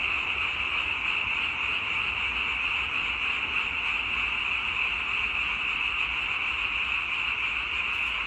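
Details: Steady high chorus of frogs, the individual croaks merged into one dense, continuous trilling hum at an even volume, with no distinct single calls and no other clear sounds.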